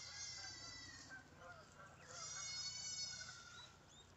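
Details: Farmed guinea pigs eating fruit give two long, high, steady squeals, one at the start and another from about two seconds in, over a low constant hum.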